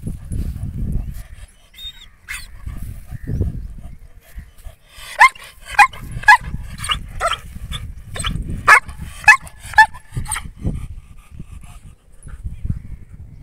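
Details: Male German Shepherd dog in Mirzapur, Uttar Pradesh, India, giving a burst of about nine sharp, loud barks in an irregular series over six seconds. A man's low voice rumbles before and after.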